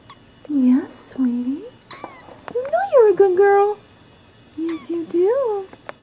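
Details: Bibi, a Persian kitten, at play indoors, giving short mid-pitched meows, one rising then falling, with a woman's soft, cooing voice between and over the calls.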